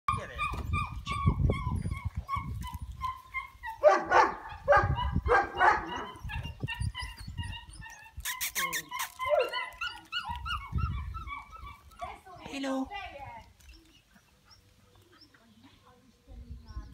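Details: Kuvasz puppy Caesar giving high, tonal whines and short yelps in quick runs, some notes held and wavering, with low thumping handling noise, a few sharp clicks and a quiet lull near the end.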